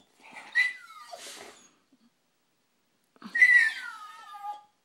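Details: Dog eager to go outside after spotting a squirrel gives two drawn-out whines, each starting high and gliding lower, separated by about a second and a half of quiet indoors.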